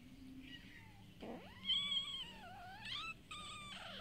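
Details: Street cats at feeding time, fed daily: a soft short cry, then a long wavering meow that rises, dips and bends, followed by two brief higher mews, with a steady low hum behind.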